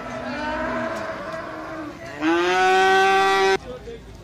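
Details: Young cattle at an Indonesian livestock market in Jetis, Ponorogo, on Jumat Pahing; softer lowing at first, then a loud, level, harmonic moo lasting over a second that stops sharply, with market bustle behind.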